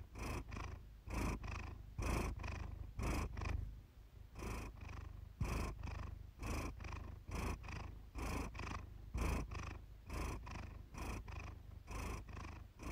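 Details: Iris the house cat purrs in a quiet room one evening, a relaxing recording. A close, rich low rumble repeats in steady breath-timed waves with a short lull partway through.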